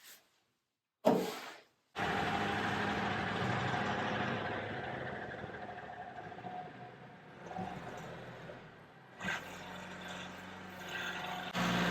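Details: Idling engine rumble fills the recording, broken by silent gaps and sharp door-like bangs near the start and end, with no animal voice audible.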